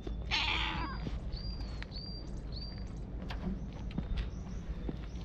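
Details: Stray cat at a Japanese shrine, filmed on a GoPro, gives one short, harsh, rising meow near the start. Thin high whistling tones and faint rustling follow through the rest of the clip.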